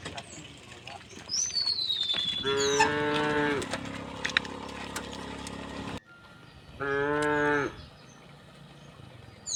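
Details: Village cows walking neatly through the village toward the fields, mooing: two drawn-out, harmonic-rich moos about four seconds apart, the first near three seconds, with a descending whistled bird note and faint background sounds.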